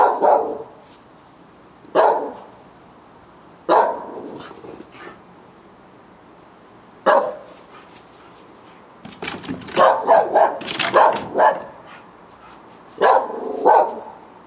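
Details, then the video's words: Several dogs barking on a July night in 2013 around 10 o'clock, a recurring nightly disturbance; single sharp barks every couple of seconds, then a dense flurry of overlapping barks near the end. "Barking Dogs"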